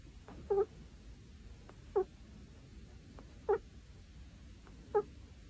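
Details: Kitten snoring, squeaky nasal notes with a bright harmonic ring, four short squeaks spaced about one and a half seconds apart over a faint low room hum.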